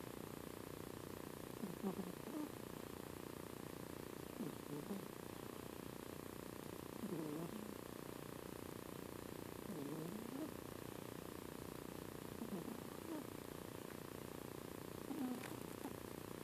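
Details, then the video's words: Spock, a female pet cat, sleeping and apparently dreaming; soft, low breathy snores rise and fall about every two and a half seconds over a steady quiet hiss, with no other clear sounds. "Spock snoring again"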